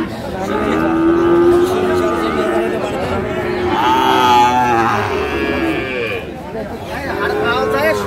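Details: Sahiwal bull calves at a cattle market, bought by a Dhaka farmer on 14 October 2024; a drawn-out, harmonic moo rises and bends mid-clip, with other lowing and steady crowd chatter throughout.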